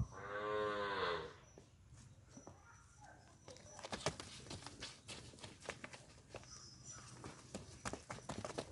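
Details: At P Gannavaram, a Punganur bull opens with a loud moo lasting about a second, followed by repeated knocking and shuffling sounds like hooves or movement on hard ground.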